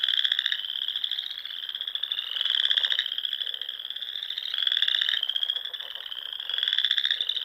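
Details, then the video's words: At dusk in the Nebraska Sandhills in spring, a pond chorus of frogs: continuous high buzzy trills from many animals, louder waves pulsing in about every two seconds and layered over the constant din. "RELAXING SOUNDS OF FROGS"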